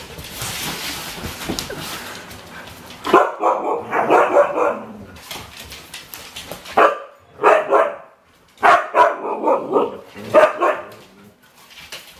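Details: Husky mix rescue dog Domi, four years old and new to her home, lets out drawn-out tonal barks in separated bursts, each a stack of harmonics lasting about a second, after an opening of hissy background noise.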